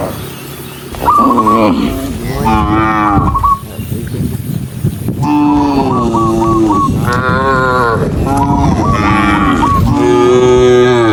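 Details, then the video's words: Dozens of cows running along a rural road in the countryside give long, deep, harmonic moos that overlap and bend in pitch, with bursts of short repeated high chirps in between and a steady outdoor rumble. "Dozens of cows running happily along the rural road with the sound of their mooing, cow"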